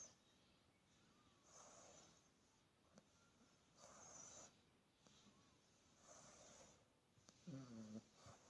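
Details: A sleeping Australian Bulldog puppy snores softly indoors, with breathy, hissing snores that swell and fade roughly every one to two seconds, followed by a brief snort near the end.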